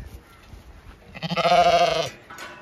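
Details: A Zwartbles ewe on an Irish farm in County Kilkenny gives one loud, wavering bleat lasting under a second, rich in harmonics and steady in pitch, after a quiet lead-in and gentle words from a person close by.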